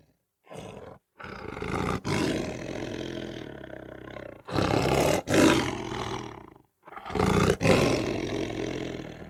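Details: Lion roaring in three long, rough, deep bursts, each lasting two to three seconds, separated by short silent breaks, the harsh rasping voice filling a broad range from low rumble to hiss, with no other sounds.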